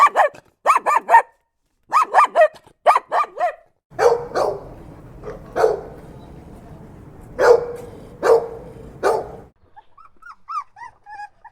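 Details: Dog giving short sharp barks in quick clusters of two or three, then a rougher stretch of barks over a low rumbling background, ending in faint high whimpers.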